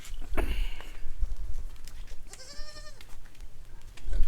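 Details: Goat on a farm, a doe that bore three male kids about a month earlier, kept with the kids. One wavering, harmonic bleat lasts under a second mid-clip, with a man talking in Marathi and handling knocks around it.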